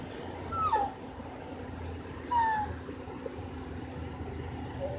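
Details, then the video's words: Female American Bully puppy named Tilly giving two short, high, whiny whimpers that slide downward, roughly a second and a half apart, over a steady low hum. "Bully Noises"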